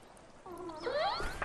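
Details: Lost juvenile female killer whale in a kelp forest off the Crozet Islands, repeating a specific distress call to reach her family; a short rising whistle-like squeal, climbing in pitch and ending in a harsh burst.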